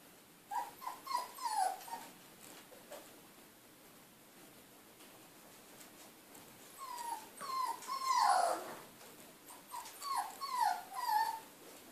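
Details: Three Siberian Husky puppies at play; bursts of whiny, yelping whimpers rising and falling in pitch, clustered in groups of several notes with pauses, one louder squealing yelp in the middle.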